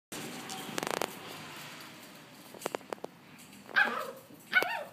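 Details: Rough Collie puppy, 56 days old, filmed on 12 March 2013; scattered clicks and knocks lead into two short, high, squeaky yips near the end.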